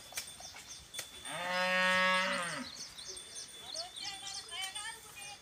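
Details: Khillar cattle at a Maharashtra farm where land is ploughed for sugarcane: one loud, long harmonic moo of over a second, steady then sagging at the close, followed by faint bird chirps and a thin high tone.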